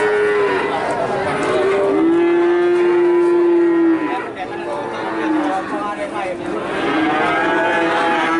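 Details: Cattle calves in Nganjuk calling with high, drawn-out moos that overlap one another, the longest held steadily for about two seconds in the middle, with a brief quieter gap before more calling resumes.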